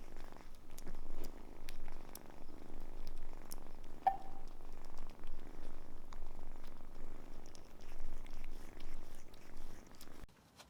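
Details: Continuous low purring from Samson, a cat taken in as a kitten from a car under maintenance and now big, rising and falling with each breath before stopping abruptly near the end.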